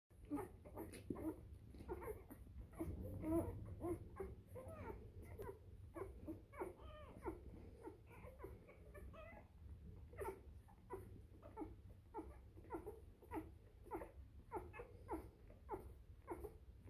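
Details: Litter of three-day-old Bernese Mountain Dog puppies indoors: many overlapping thin squeaks and whines, some wavering, repeated in quick uneven succession over steady low room hum.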